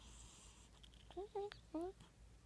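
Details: Bub the cat, dreaming and twitching in his sleep, makes three short rising chirps with bright overtones over about a second, against a quiet indoor background.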